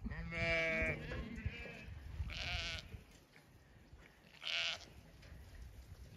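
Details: Zwartbles ewe on a farm in County Kilkenny, Ireland, a straggler calling from across the field as she comes late to the flock's feed; one harmonic, wavering bleat opens, followed by fainter bursts and a woman talking over steady field noise.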